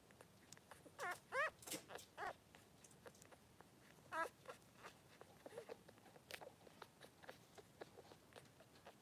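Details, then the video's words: Three-day-old Blenheim Cavalier King Charles Spaniel puppies, two boys, in a newborn pen with their mother Pom-Pom; a burst of high rising squeaks near the start, another around four seconds, then rustling and faint clicks. "Cavalier Puppies Live: 3 days old!"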